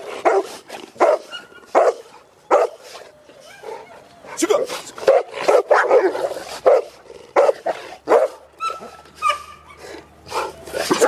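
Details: Cane Corso from a breeder raising dogs in a family setting, barking in a loose series of short, loud, broad bursts, some paired, with a whimpering tone between barks over about eleven seconds.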